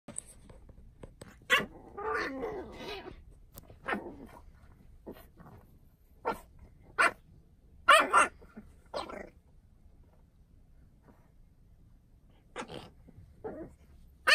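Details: French Bulldog puppy in a goofy mood indoors, letting out scattered short harsh barks and a rough growling grumble, with sharp yaps spaced irregularly across a quiet room and gaps of silence between outbursts.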